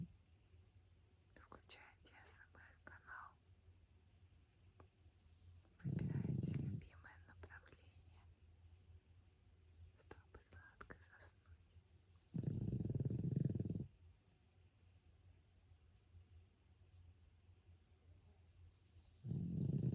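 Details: Deep, low snores from Francois, a pug dozing indoors, come as steady, heavy breaths about every six to seven seconds, three in all. Gentle whispered speech and small mouth clicks lie between the snores.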